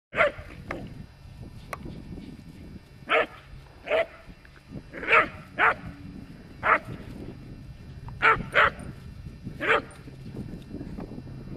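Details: Whippet getting excited and silly in the wind, giving short sharp barks in irregular bursts, about ten over twelve seconds, some paired, over a steady background rumble of wind.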